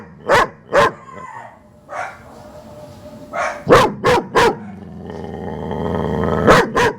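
A German Shepherd gives deep, loud barks in quick pairs and triplets, with a low drawn-out rumble between.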